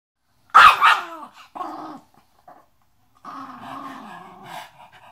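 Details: Chihuahua growling with attitude indoors; a sharp bark burst opens, followed by short rough growls and a longer rumbling growl with a low buzzy tone.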